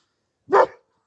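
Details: A single short, gruff bark from a Kangal dog, one of six dogs being driven across the way by two naughty birds. The bark is abrupt and loud, then silence follows.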